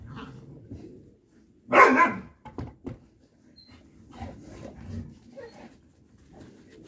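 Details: Ten-week-old Boxer-Malinois mix puppies; one sharp, loud bark bursts out early, followed by a couple of short soft yips and faint rustling indoors.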